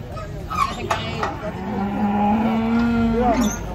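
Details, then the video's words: Cattle taken down from a truck, one long, steady, low moo lasting about two seconds after a few short sharp knocks and a brief higher call. "BUANYAK SAPI LUCU NGAMUK KETANGKEP TURUN DARI TRUK"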